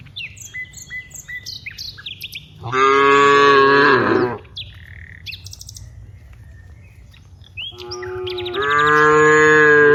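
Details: Cows walking from the rice fields to the village give two loud, long moos about six seconds apart, each roughly one and a half seconds, harsh and harmonic; small birds chirp busily between them.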